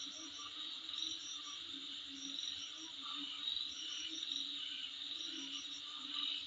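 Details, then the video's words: Night insects outside a dwelling keep up a continuous high-pitched ringing buzz, with short bright chirp bursts repeating on top every second or so and a soft low tone underneath. "Sound Of Insect In Front Of My Place"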